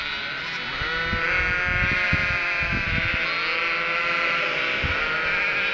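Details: Cotswold sheep and three-week-old lambs clamour for food they think the farmer brings; many overlapping bleats, long and tremulous, with bursts of low stamping or knocking sounds.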